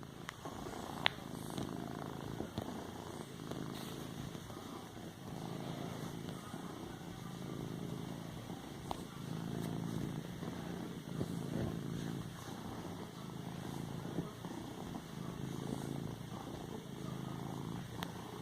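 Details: Domestic cat purring while padding and kneading a pillow indoors; a steady low rumbling purr in rhythmic pulses, with a few soft clicks and taps from the kneading.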